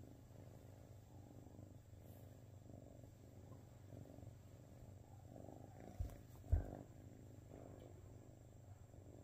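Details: Gracie, a bluepoint Siamese kitten, purring in a steady low rumble with soft breathing-paced pulses throughout, and two brief knocks near the end.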